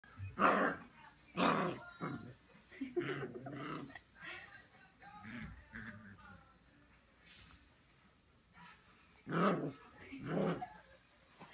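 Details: A 6-week-old Siberian Husky puppy in Austin, Texas, picking a fight with her own reflection in a mirror, gives sharp, raspy barks in bursts with a throaty growl between them.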